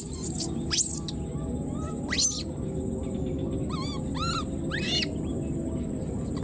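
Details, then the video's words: A newborn wild monkey left behind keeps crying for its mother. Three clear, rising-then-falling wailing calls with rich overtones arrive about half a second apart in the second half, after scratchy sweeps, above constant low background noise. "the wild newborn baby monkey was left behind and keeps calling for its mother"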